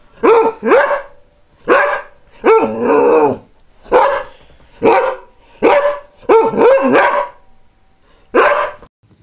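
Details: Greyhound barking loudly: around ten barks, some doubled and some drawn out with a whining pitch bend, spaced about a second apart.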